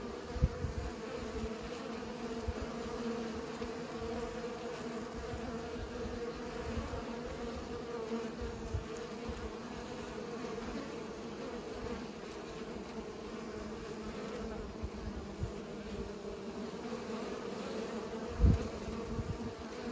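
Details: Bees pollinating produce an unbroken low buzzing drone for the full length, a layered steady hum, with scattered low thumps and one sharp louder knock near the end.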